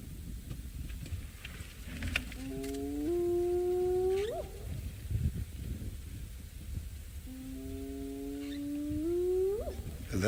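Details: At Djuma on a sunrise game drive, a spotted hyena answers wild dogs that called earlier; two long whoops that hold low and then sweep upward, with faint rustling and bush noise between them.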